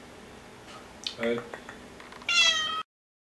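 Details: Bengal kitten, six months old, exploring a new cat wheel at home, gives a bright, clear meow lasting about half a second, preceded by a few soft clicks and Polish voices.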